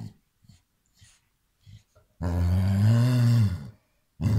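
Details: A Basset Hound gives a deep, drawn-out bark that swells and fades after a few soft grunts, reacting playfully to a hand "attacking" him.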